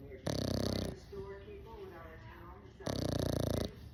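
An English Bulldog puppy snores in two loud, rasping, rattling breaths about two and a half seconds apart.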